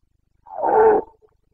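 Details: A single Carpathian stag bellow from the Bucovina breeding season of 2022: one loud, half-second guttural roar, rich and harsh, ending abruptly with a faint after-grunt in otherwise silent surroundings.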